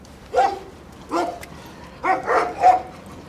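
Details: Jack Russell terrier teasing the resident dogs at a Samandıra vehicle inspection station, giving four loud, clipped barks spread over three seconds, the last two close together, over quiet background.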